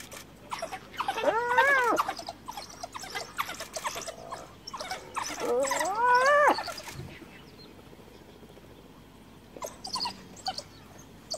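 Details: Cornered hyena mother in Kruger calling for clan backup as wild dogs close in after her cub's death; two rising-and-falling warbling squeals with trembling pitch, then quieter background with faint rustling.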